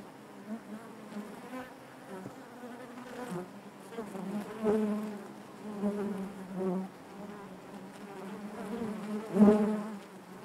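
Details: A honey bee hive's natural buzzing: a soft, continuous low hum rising and falling in intensity, with a strong close buzz near the end.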